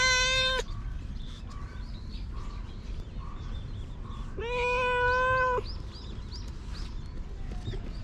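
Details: A stray cat outdoors gives two sustained meows several seconds apart, while soft bird chirps and twitters continue in the background.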